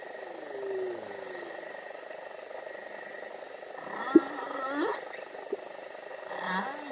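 A humpback whale sings slow sliding moans and upswept cries over a steady underwater hum.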